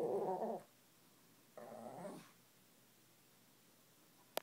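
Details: Shih Tzu kept as a pet, complaining and begging for food indoors: two short, rough, grumbling vocal bursts about a second apart, each under a second long, followed by quiet room background and a faint click at the end.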